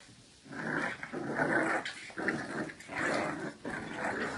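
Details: Two wrinkly bulldog puppies play-fighting indoors, giving rough, throaty growls in bursts of about half a second to a second, with brief pauses between and an occasional higher yip.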